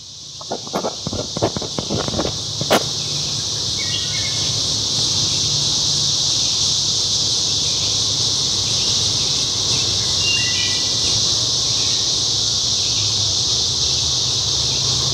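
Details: Brood XXIII 13-year periodical cicadas, emerged in 2015 in northern Mississippi, fill the air with a steady, high, hissing drone from massed males.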